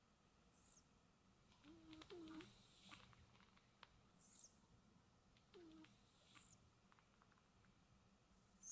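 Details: Sleepy house cats snoozing at home give gentle snores. Hissy breath bursts come about every two seconds, several with a short low whistling note, in a still, quiet room without speech.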